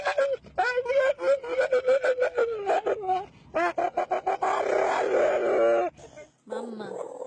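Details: Dog making weird vocal sounds: a wavering, whine-like howl held steady then wobbling and sliding, broken by short yelps, with what may be human voices mixed in.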